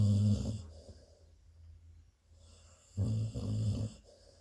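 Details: An adult female Labrador Retriever mother snores while sleeping and dreaming, in two deep, rumbling bursts about three seconds apart, with softer breathing between them.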